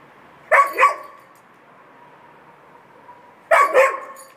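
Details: Irish Setter left alone and calling for its family: two loud double barks three seconds apart, with a faint, thin whine holding steady in the quiet gap between them.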